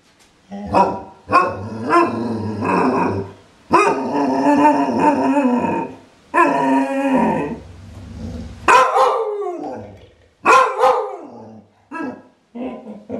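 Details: A Clumber Spaniel gives repeated barks with sustained, rough, growling vocal passages between them, the bursts coming unevenly about every couple of seconds.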